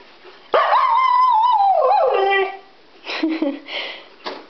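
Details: Female Siberian Husky, Iris, getting worked up at home after being left behind on a PetSmart trip; one sustained howl falling in pitch over two seconds, followed by shorter whining vocal bursts.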